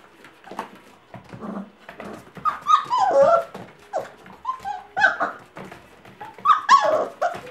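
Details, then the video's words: Five-week-old Gordon Setter puppies frolicking indoors in a small room, letting out high whimpers, squeals and short yelping barks in irregular bursts, with rustling and scuffling between the cries. "Puppies frolic :) gordon setter puppies"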